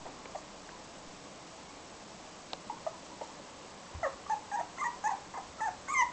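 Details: Toy Poodle puppy giving a run of short, high whimpering yips in the last two seconds, about eight quick squeaky calls after a mostly quiet start with faint scattered sounds.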